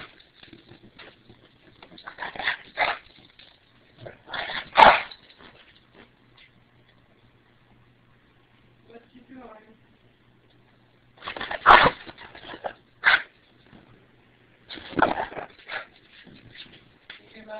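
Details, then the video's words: English Bulldog Stargazer Lily Rose, a female, reacting with displeasure to things pointed at her, such as fingers, pens, glue guns or remote controls; short, harsh barking bursts come near 2.5, 5, 12, 13 and 15 seconds, with human speech between them. "Funny English Bulldog Stargazer Lily Rose Doesn't Like Pointing"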